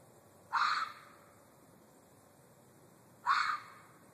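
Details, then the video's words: Red fox screaming: two harsh, hoarse, rasping shrieks, each under half a second, spaced about three seconds apart over a quiet background. "Fox screaming"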